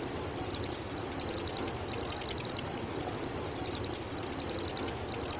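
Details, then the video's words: Cricket song outdoors: high, even pulsed chirps grouped into roughly one-second bursts with short pauses between them, repeated steadily throughout. "Áudio do Grilo cantando muito na Natureza Som original. O verdadeiro canto de um grilo"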